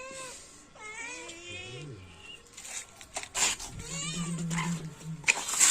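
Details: Domestic cat giving a few short rising-and-falling meows early on, followed by clattering, clicks and a low steady hum from other household noise.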